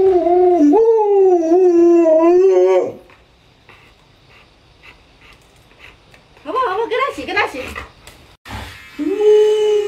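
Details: Alaskan Malamute Luoluo, a pet dog indoors, vocalising to wake an owner still in bed after sunrise: a long wavering howl of about three seconds, a quiet pause, then rapid warbling yelps and a final drawn-out steady howl.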